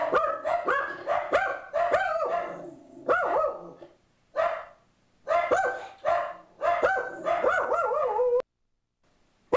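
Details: Boo Radley, a pug mix sitting on a bench, barks at an ad man who has come to the door: rapid bursts of sharp, ringing barks in three volleys separated by short pauses, ending in silence.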